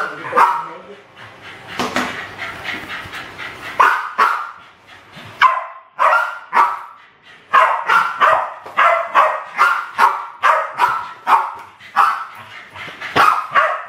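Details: West Highland White Terriers Alfie and Crystal, aged around seven and eight, attacking balloons in a home kitchen in 2012; a long run of sharp, excited barks in quick bursts, with a short stretch of talking early on.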